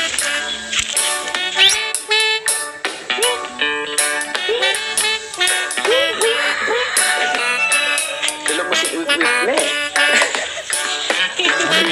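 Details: Music with a voice over it; no animal sound is heard.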